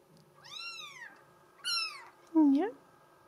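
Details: Female mink solid Bengal kitten meowing twice, two bright, arched calls that slide downward, followed by a louder, lower, brief rising sound, possibly a voice, indoors.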